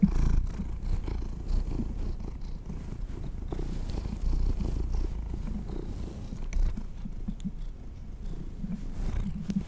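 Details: Domestic kitties enjoying treats produce a continuous deep, pulsing purr across the whole stretch, close and even in loudness, with occasional faint ticks and rustles over the low rumble.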